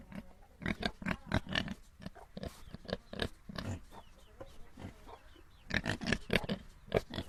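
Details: Several little domestic pigs grunt and squeal in quick, irregular bursts, calling over one another.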